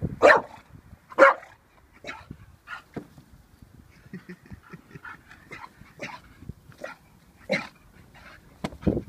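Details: Vinnie, an 18-month-old pet Staffordshire Bull Terrier, reacting uncertainly to a balloon: two loud, sharp barks in the first second and a half, then a run of softer, scattered yips and snuffling sounds at an irregular pace.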